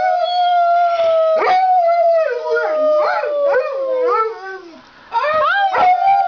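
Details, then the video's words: Duke, a Labrador Retriever kept as a talking pet dog, joins a group howl: a long sustained howl sliding slowly downward, then wavering, yodelling rises and falls, a brief pause, and renewed rising howls. "My Talking Dog Lab Duke says I love you"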